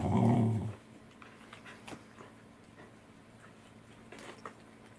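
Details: Welsh Corgi growling indoors over a meal of saury, 10 November 2020, alongside Roku, Angela and Kuro; a single low, gravelly growl at the start, then quiet room tone with light tapping and clicks.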